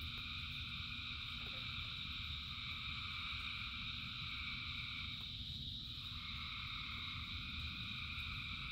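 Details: Massed frogs calling during rain, a steady high-pitched droning chorus that briefly thins and dips in the middle before swelling back, set against persistent low rain noise.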